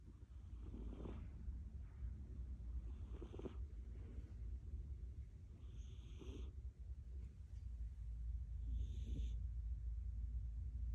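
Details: Munchkin cat named Milk-chan snoring loudly, low rumbling breaths in slow irregular bursts, with soft hissy exhale noises and a steady low background hum.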